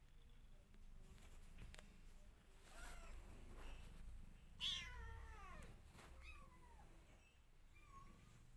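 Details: Missing her old home, a mother cat tries to escape her new house, calling with a drawn-out, wavering meow midway, followed by two shorter, softer meows over a steady low background hum.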